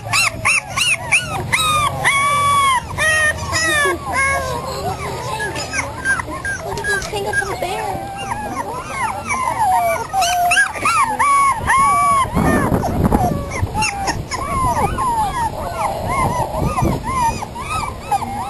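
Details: Five 3.5-week-old puppies born June 11, 2007, to a terrier mother and an Australian Shepherd father, on their first day outside: dense, overlapping high whines and arched squeals rise and fall almost nonstop, with a lower rumble of background noise near the middle.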